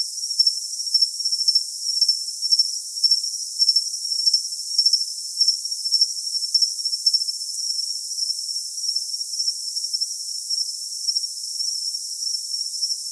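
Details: High, piercing cricket chirps come in rhythmic groups of two or three pulses, roughly every half second for the first seven seconds, then fade into a continuous shrill ringing tone. The sound is clean and treble-heavy, with no other sounds.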